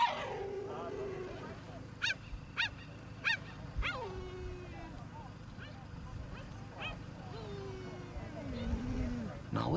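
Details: A coalition of five male cheetahs in Kenya's Maasai Mara communicates with high, bird-like chirps, twittering and drawn-out falling whines, calling back and forth over a low rumble, around a wildebeest one of them brought down.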